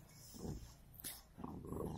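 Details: A golden Labrador and a cocker spaniel growl in low, rumbling bursts during a rough play fight.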